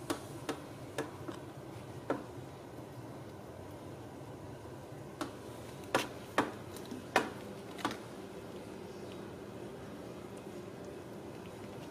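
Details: Quiet indoor room tone broken by scattered sharp ticks and clicks, a few louder around the middle, with no animal voice heard.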